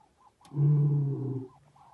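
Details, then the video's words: Giant male lion roaring as it walks past a vehicle: one deep, rumbling roar lasting about a second, rich in low harmonics, rising sharply then fading out, with quiet background before and after. "Giant male lion roaring past vehicle"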